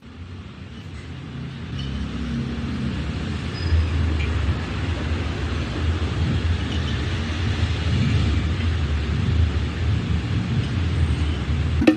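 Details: Low rumbling road traffic and passing car noise growing louder, no animal voices.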